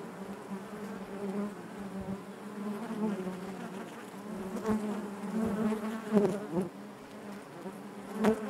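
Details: Honey bees inside their hive, a dense steady hum centred low with stacked harmonic bands, rising and falling in loudness as individual bees pass close with brief louder swells.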